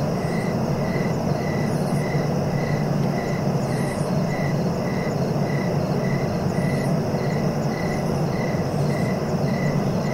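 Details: Cricket giving brief regular chirps, roughly two per second, set against a constant low background rumble and a faint high insect drone.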